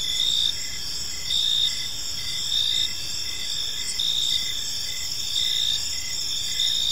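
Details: Evening park crickets: continuous high-pitched chirping chorus, bright bands with regular louder bursts about once a second, soft low hum underneath.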